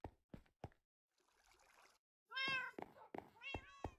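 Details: Persian cat just delivered to Hanoi, Vietnam, after a long journey: a few dull thumps and a soft rustle give way to a loud, drawn-out meow and two shorter meows near the end.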